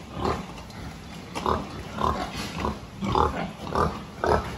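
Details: Pig during a health check, 26 October 2023: a series of short, nasal grunts, roughly one every half to one second, each a brief rounded burst over a low background hum.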